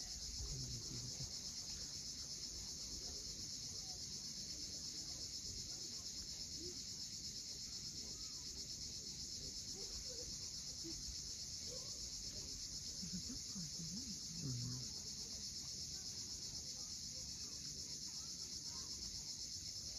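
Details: Sunset cicada chorus on the steep seaside cliffs of Cape Fiolent, Crimea: an even, piercing buzz runs without pause, backed by rolling waves and a few faint bird notes.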